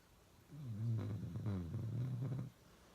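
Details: Uno the dog in one long, rough snore lasting about two seconds, a rumbling, slightly growly drone that wavers in loudness before cutting off, indoors and otherwise quiet.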